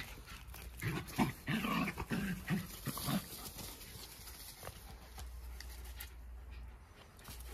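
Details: Jack Russell Terriers wrestling in a friendly dog fight: clustered low growls and snarls for about three seconds, then the noise fades to quiet scuffling and background hum.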